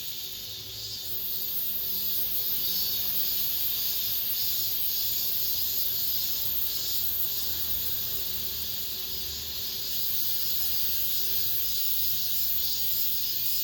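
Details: Cicadas singing inside an apartment complex at the end of summer, the season's last cicada song: a dense, steady high-pitched hiss that barely wavers, with a faint low hum of background noise underneath.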